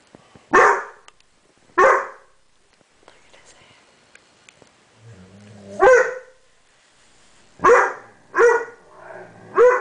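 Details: Banks, a 7-month-old dog that cannot figure out mirrors, barks sharply twice, pauses, then gives a short growl and a quick run of higher, yelping barks at the reflection.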